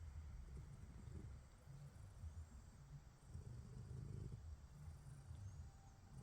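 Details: ['Pet cat asleep, snoring and purring: a continuous deep, rough rumble that swells and fades gently without pause, with a faint high hiss in the background.']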